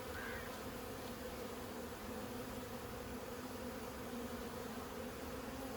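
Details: Honey bees swarming during removal of their 15-year-old hive from a house, making a thick, unbroken hum with a strong low drone and a higher harmonic, unchanging for several seconds.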